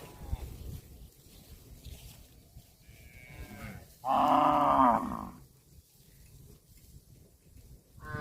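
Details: Cow feeding on grass lets out a loud, full, steady moo about a second long with rich harmonics, after a quieter preceding call, then another moo begins at the end; soft grass rustling beneath.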